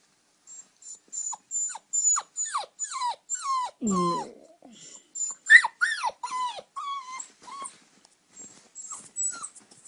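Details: Eight-week-old puppy Oscar whines to be allowed into the bed: rapid series of high, sharply falling squeals about twice a second, a low grumble midway, then softer steadier whimpers trailing off.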